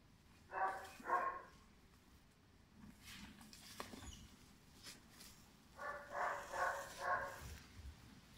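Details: Five-month-old German Shepherd puppy bred for sport or police work; two pairs of short, harsh barks, one near the start and another group of three or four later, separated by quiet with faint background noise.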